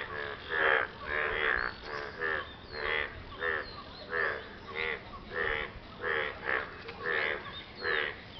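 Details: Frog croaking after rain while courting a partner: a steady series of rasping, nasal croaks, each a short buzzy burst, about ten across eight seconds, fairly evenly spaced, with a faint background hiss.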